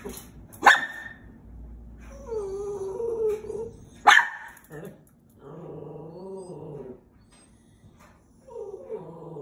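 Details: Chihuahua-Terrier mix dog barking at squirrels: two sharp, explosive barks spaced about three and a half seconds apart, each followed by drawn-out wavering whines and growling tones.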